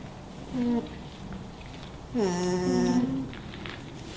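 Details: Alpaca (Vicugna pacos) gives two soft, nasal hums, a brief one then a longer wavering one.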